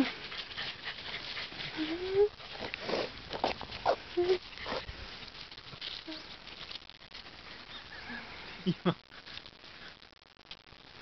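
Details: A female Welsh Corgi makes brief, high whines that slide upward, alongside a few sharper yips at uneven intervals, with a human voice faintly nearby.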